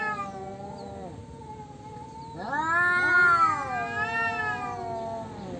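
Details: Two male cats in a territorial quarrel: a steady low moan, a brief pause, then a loud rising yowl that climbs sharply, wavers and slowly sinks into a drawn-out wail.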